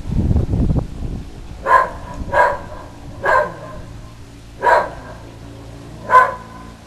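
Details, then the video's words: Whippet, normally quiet, barking in a frenzy at the Goodyear blimp flying by; after a burst of rustling, five sharp barks arrive roughly every second, with a steady low hum underneath. "our whippet barking at the Good Year blimp"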